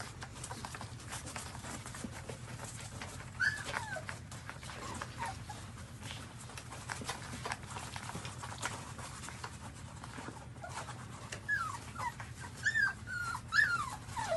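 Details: Newborn puppies suckling their mother's milk; soft, thin whimpers rise and fall near the end, set against steady low rustling and sucking noises from the nursing litter.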